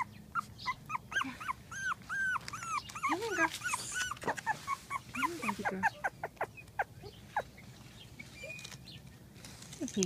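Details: Eight-week-old female miniature dachshund puppy, early January 2015, giving a string of high, arched whimpers and squeaky yelps, some sliding up and down, in irregular bursts with short quiet gaps and a few soft lower whines.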